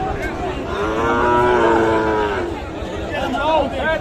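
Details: Sahiwal cattle at Raniganj market, Dinajpur, 7 April; a long, loud, harmonic moo that rises and falls over about two seconds, followed by a shorter bending call, amid constant crowd murmur.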